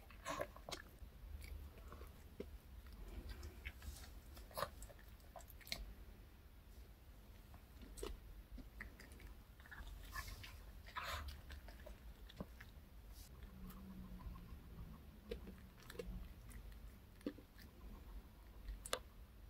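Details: Reka, a pet dog, snacks on a chocolate cupcake with milk from K Pet Fair in a close-miked ASMR recording. Sparse crunching and chewing ticks recur irregularly over a constant low room drone.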